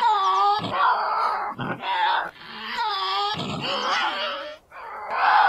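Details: Tasmanian devil growls and screams, processed as 8D audio; harsh, wavering harmonic screams in about four loud bursts separated by short gaps, with some lower rasping growls between them.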